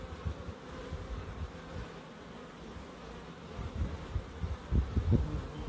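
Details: Bees drone steadily in a small wildlife garden in Crookes, their hum overlaid by low thumping bumps that grow louder toward the end.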